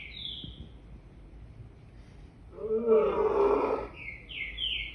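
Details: One rasping, harmonic lion roar lasting about one and a half seconds rises out of a quiet background, framed by high, sweeping bird chirps before and after.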